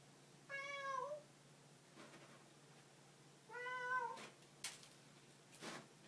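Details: House cat uttering two wavering meows about three seconds apart. The second one bends downward at its end, and sharp clicks and knocks follow it in a quiet room.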